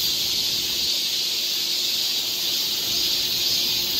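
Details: Continuous high, hissing cicada chorus from a Korean summer forest trail in Seoul, even and unbroken throughout the short stretch, with a faint low hum beneath.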